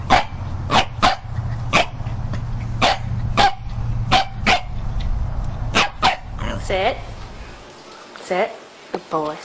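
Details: Dog from a funny dog-behaviour compilation barking in short, sharp bursts, about a dozen over six seconds at an uneven pace, with a low steady hum beneath; a person then speaks encouragingly in a tonal, sing-song voice.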